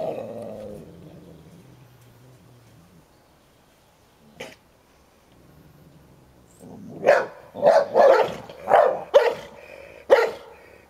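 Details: Play-fight between an old Hovawart guarding his toy and a young American Staffordshire Terrier: a low rumbling growl at first, a quiet stretch with one sharp sound, then a burst of six loud barks close together.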